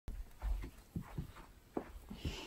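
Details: Siberian Husky named Key waking up in the morning indoors, a dog that loves to cuddle; a run of low, throaty grumbling groans, about eight short pulses in two seconds, in a quiet small room.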